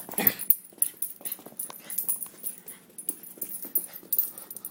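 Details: Dog eager to see his owner, indoors in a small room: a run of snuffly, wheezy whimpers and short scratchy bursts, with one louder burst near the start and repeated soft puffs throughout.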